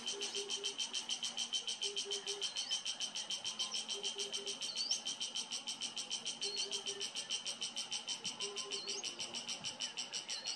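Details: Cicada calling in summer sun in a Himalayan garden estate in Uttarakhand, India: a fast, steady pulsing buzz, about three pulses a second, with rising bird whistles and short low chirping phrases mixed in.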